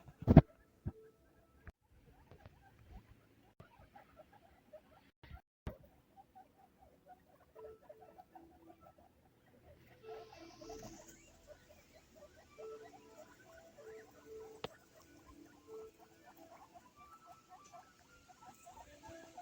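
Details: Baby guinea pigs at Hana Pet, a guinea pig specialty pet shop in Sapporo, Hokkaido, give soft, rapid runs of short squeaky notes that keep overlapping, with faint rustling throughout and a steady hiss joining in halfway through.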